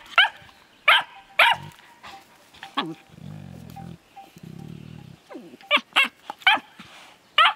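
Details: Affectionate play between a Finnish Lapdog puppy and an older Landseer female: short sharp barks come in quick pairs, then two sustained low growls, then more barking bursts toward the end.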